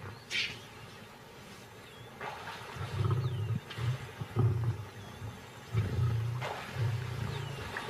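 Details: Lion, a mother seeking food for her cubs at a carcass in crocodile habitat, making short, deep growling bursts repeated about once a second. Thin high whistles and chirps of birds are heard in the background.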